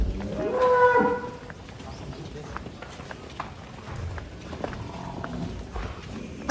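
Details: A large black cow, described as a monster bull, being let out of its pen gives one short, fairly high, tonal moo near the start, followed by shuffling and clattering noises and people talking.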